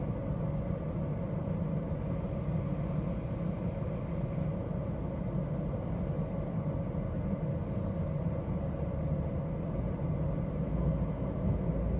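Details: A steady low rumble, like engine or road noise, fills the recording, with no animal voice standing out.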